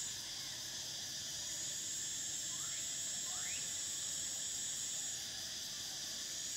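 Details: Cicadas singing in summer: a steady, high, shimmering drone holds unbroken until it drops out near the end, with two brief rising whistled notes from another animal in the middle.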